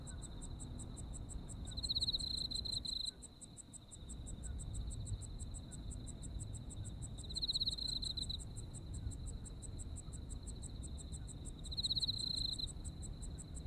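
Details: Japanese autumn insect chorus: an unbroken high-pitched trill and quick repeated upper chirps, punctuated by three louder pulsing bursts about every five seconds, set against constant low-frequency rumble with a brief dip near 3 seconds.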